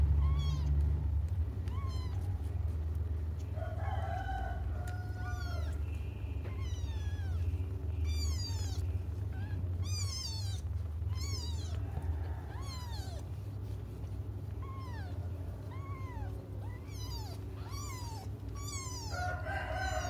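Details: Cats cry and wait for their mother, giving a long run of rapid, overlapping meows, several callers at once, about four cries a second at times, each bending up and down. Constant low background rumble.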